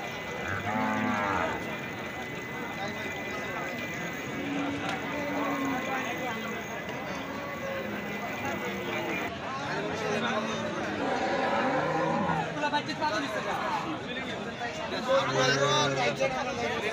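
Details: Cattle at a busy livestock market with many large animals; several low harmonic moos at intervals over steady crowd chatter, voices and market bustle throughout.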